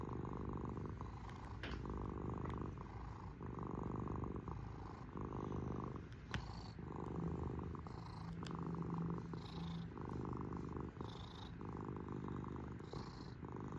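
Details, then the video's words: Domestic cat purring continuously, a rough low rumble in breath-length waves about every two seconds, with light nasal hissy breaths and occasional small clicks. "SOX THE KITTY CAT PURRING MACHINE!"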